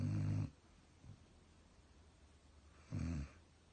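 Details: German Shepherd asleep and snoring: a low, grinding snore at the start, a faint short snort near one second, then a second rasping snore about three seconds in, quiet room otherwise.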